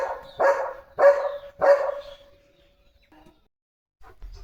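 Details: Pet German Shepherd dog at home, eager about a parcel being unboxed; three strong barks about half a second apart, each ending in a brief tonal whine, then quiet.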